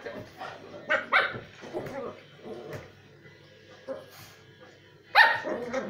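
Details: Havanese dog battling a lemon peel, giving short scattered yips and barks amid snuffling and scuffling noises, with one sharper, louder bark near the end and a person's voice nearby.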